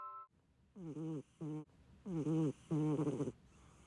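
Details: Sleeping short-legged Munchkin cat snoring as loudly as a middle-aged man: four low, buzzy, rattling snores of uneven length, each a wavering harmonic drone, with a brief high chime-like tone just before the first one.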